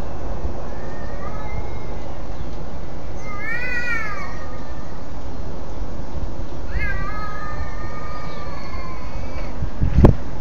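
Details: A domestic cat's strange pre-attack noise aimed at another cat: a short arching moan, then a longer drawn-out yowl slowly dropping in pitch, over constant low hiss and a sharp knock at the end.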